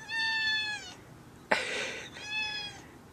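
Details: Indoor house cat asking to go outside at night: two long, clear, tonal meows separated by a sharp rustling burst, each meow steady and slightly falling at the end.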